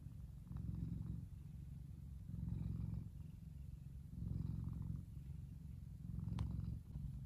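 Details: A big F2 Savannah tomcat, Kumba, lies relaxing in sunshine, purring. The deep rumble cycles between stronger and quieter breaths about every one and a half seconds, with a faint click near the end.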